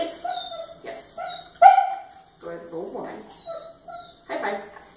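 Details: Obi Wan, a Miniature Schnauzer, at play, with tonal whines and short yips in several bursts over five seconds, mixed with a person's praising voice.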